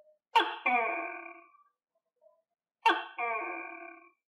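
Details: Tokay gecko (Gekko gecko), a captive gecko fed on crickets, gives its loud, croaking two-part "to-kay" call twice, about two and a half seconds apart.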